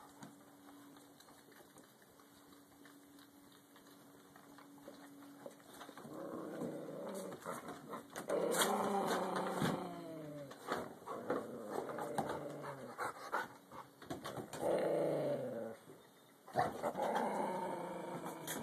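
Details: Angry dog growling while another dog antagonizes it during play; a quiet opening gives way to rough, harmonic growls in surging bursts from mid-clip onward, with brief pauses between them.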